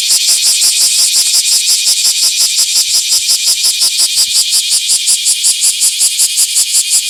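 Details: Bear cicada singing in a small park on 24 July 2026: a loud, harsh buzzing pulsed in steady, rapid beats of nearly three per second, high-pitched and continuous throughout.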